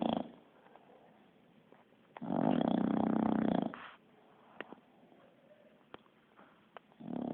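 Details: Bulldog sleeping indoors and snoring like a person: a loud, buzzy, vibrating inhaled snore lasting over a second, bracketed by quieter breaths and a few soft clicks.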